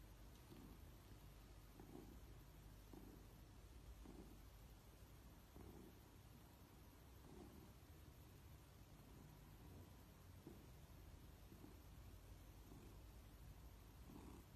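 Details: Domestic cat acting like a baby while being stroked indoors: a soft, low, rumbling purr in steady rhythmic pulses, each about a second apart, continuing throughout with faint background hum.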